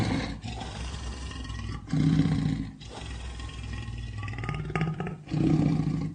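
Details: Lion giving deep, low roars in bursts, loud grunting swells around two seconds and again near the end, with rougher rumbling between them.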